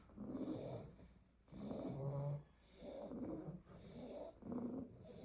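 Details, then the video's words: Sleeping Staffordshire Bull Terrier puppies piled in a basket after a day of garden play; long rough snores swell and fade roughly every second and a quarter, with a low rumbling undertone and quiet pauses between breaths. "A basket full of snoring staffy puppies"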